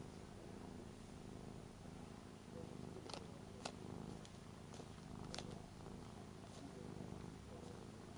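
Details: Three-year-old Ragdoll cat indoors, lying in front of a family member packing for a Hong Kong trip, seeming lonely and seeking affection; filmed on a Panasonic LUMIX camera. Steady low rumbling purr throughout, with a few faint sharp clicks.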